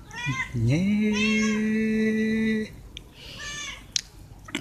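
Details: A stray cat being fed veg rissoles gives one long meow asking for food. It scoops up from low, then holds a steady, nasal tone for about two seconds. A few faint clicks and knocks follow in the quiet.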